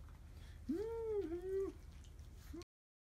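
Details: A drowsy Chihuahua on a warm spring day lets out a high, nasal whine of about two seconds, rising, holding steady, then a second slightly lower phrase trailing off, with a faint low hum behind.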